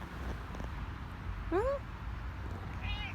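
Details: Male cat in heat uttering one sharp rising-then-falling meow near the middle, then a softer wavering meow at the end, with low background rumble.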